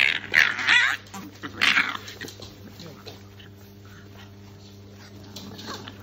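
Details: Several Shar Pei pups play fighting, opening with loud, high, harsh yelping bursts during the first two seconds, then quieter scuffling noises and softer whines over a constant low electrical hum, with a person speaking.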